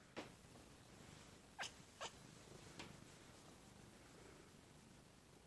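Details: A pet dog chirping while getting tummy rubs, giving short, sharp chirps at irregular intervals, two of them close together, against a quiet indoor background.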